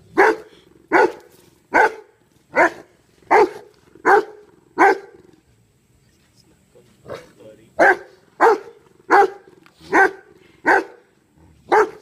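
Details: Kano the dog barking while trying to wake his dead companion BJ and guarding the grave: seven sharp, evenly spaced barks, a pause of about two seconds, then six more barks.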